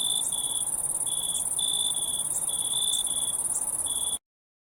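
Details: High continuous cricket trilling with a lower chirp in longer bursts of about half a second, then abrupt silence for the final half second.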